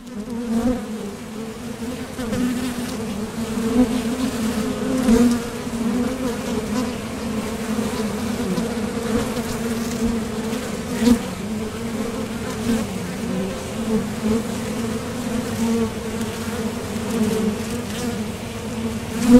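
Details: Honeybees buzzing at the entrance of a top bar hive as foragers leave for and return from the field; a dense, steady low hum with overlapping droning tones and brief louder swells as individual bees pass close.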